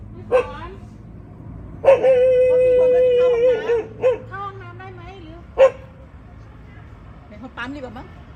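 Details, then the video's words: A dog at a friend's house in Thailand lets out a long, steady, drawn-out howl lasting about two seconds, framed by a few sharp barks, with faint talk in the background. "เสียงหมาเห่า ที่บ้านเพื่อนในประเทศไทย"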